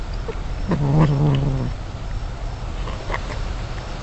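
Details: Wild mother cat with kittens, picked up by a surveillance system over 50 feet away; a single low, drawn-out moaning wail lasting about a second, then only faint background hiss.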